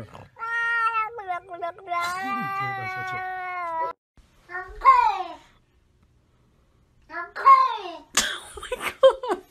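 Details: Domestic cat giving a long, steady, drawn-out meow, then shorter falling meows after a pause, ending with harsh hissy bursts and brief further calls indoors.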